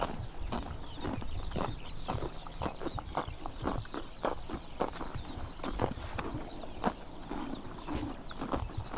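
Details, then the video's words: Grass-eating horses in Mongolia's Tuv province on a summer morning, giving dense crisp chomping and ripping bites; faint high chirps of small birds twitter steadily in the background. "Horses eating grass in summer morning / chomping noises"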